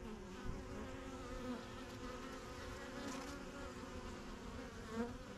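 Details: Honey bees crowding the entrance of a strong yellow backyard hive, getting used to their new surroundings; continuous low buzzing hum with individual bees zipping close by now and then.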